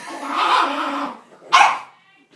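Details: Angry dog named Reg scolding a door, voicing a long harsh grumble that swells and fades over a second, followed after a pause by a single abrupt bark, then silence.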